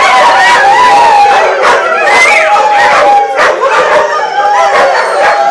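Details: Greyhounds in full group song at a 2010 picnic in Atlantic Canada; several loud overlapping howls with warbling, sliding pitches and brief higher whines, steady and dense from start to finish.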